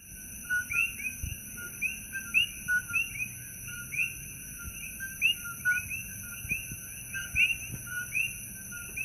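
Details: Coqui frogs calling loudly at night at Holualoa on the Kona Coast of the Big Island, Hawaii: a dense chorus of sharp two-note chirps, a low note then a rising higher one, repeated by many frogs over steady high insect-like hiss.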